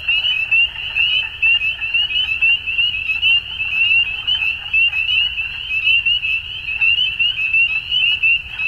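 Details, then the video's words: At dusk, many frogs form a continuous high-pitched chorus of quick repeated chirps, the overall sound pulsing in waves about once per second against a faint low rumble. "Frogs At Dusk"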